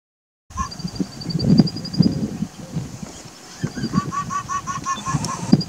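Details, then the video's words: An Indian fox (Bengal fox) gives a mating call, a rapid series of short, nasal, honking notes. "in this video the fox is giving a mating call"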